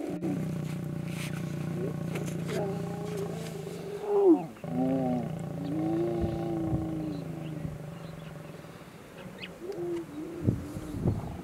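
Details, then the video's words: Mating lions in Kgalagadi Transfrontier Park: a steady deep growl, then harsh rising-falling snarls and moaning roars in several bursts, ending with short yelping snarls; faint bird calls in the background. "Mating Lions Kgalagadi Transfrontier Park"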